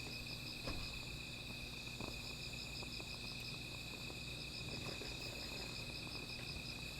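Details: Night-time insects sing continuously near a small fire, a thin unbroken high whine layered with a faster throbbing buzz higher still, while soft pops and crackles dot a low background hum.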